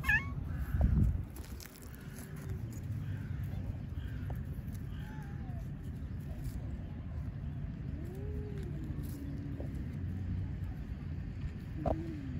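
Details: Stray cats on an Istanbul street in Turkey, a one-eyed cat wanting attention while others eat; a few soft, arched meows rise and fall over a steady low rumble of traffic and street noise.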